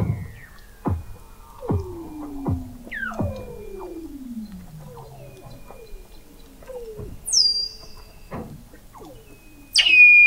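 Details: Weddell seal vocalizations under the sea ice of McMurdo Sound, Antarctica, in November 2017, captured from an undersea observatory 21 m down: steep downward-sliding whistles and chirps, some very high and piercing, overlapping in a busy chorus.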